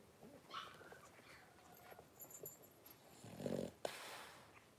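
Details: Blenheim Cavalier King Charles Spaniel puppies, three weeks old, wrestling in their pen; faint squeaky whines give way to a low grumbling growl and a sudden sharp snort near the end.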